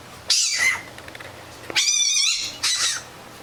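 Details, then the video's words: Fennec fox letting out three loud, high, shrill screeching bursts, each under a second long, with bright ringing overtones and short pauses between them. "FENNEC FOX SOUND EFFECT 사막여우 울음소리"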